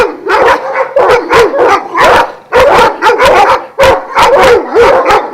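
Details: Šarplaninac dogs of the Vujanski line at a kennel of twelve in Jasika near Kruševac, Serbia, giving loud overlapping barks in dense bursts with short pauses, several voices at once.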